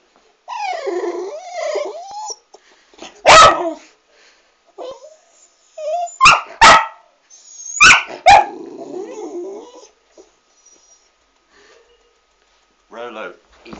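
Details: Two pet dogs squabbling indoors, one refusing its treat yet keeping the other dog from it: harmonic whining growls and snarls, then sharp loud barks in quick bursts around the middle, with quiet gaps and a final short growl.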